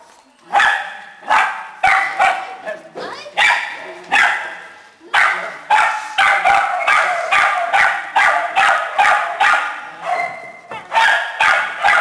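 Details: Small dogs and puppies in a shelter kennel break into bursts of loud, high-pitched yapping after a quiet opening second, the barks coming in clustered runs separated by short lulls.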